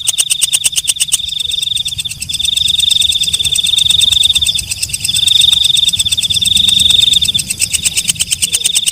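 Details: Walang kecek, a night grasshopper, calling at night: sharp high ticking pulses about four per second over a steady shrill ringing buzz, which swells louder and fades in waves.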